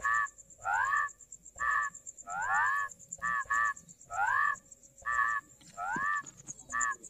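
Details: Rice field frog calling: nasal, harmonic croaks, each sweeping upward then levelling, given singly or in quick pairs about once a second, over a steady thin high-pitched whine in the background.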